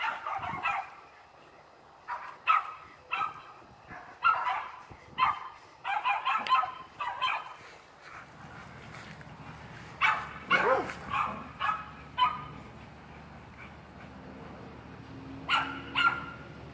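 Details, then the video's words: Feisty Miniature Schnauzer at play, giving short sharp barks and yaps in irregular series, sometimes paired in quick doubles, over a low steady hum in the background. "Feisty miniature schnauzer"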